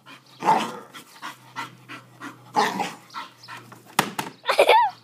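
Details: An English bull terrier barks while going after a lawn mower. Short, harsh barks come in uneven bursts, with a few yips and a higher whimpering note near the end over a faint steady hum.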